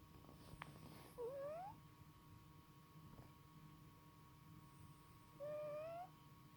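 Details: A male house cat asleep makes a strange whistling snore: two high, thin, rising squeaks about four seconds apart, each lasting around half a second, against a quiet indoor background.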